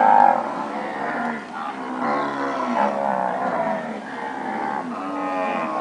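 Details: Standard purebred Nelore cows that have calved, mooing continuously, with overlapping deep harmonic calls that rise and fall in waves throughout.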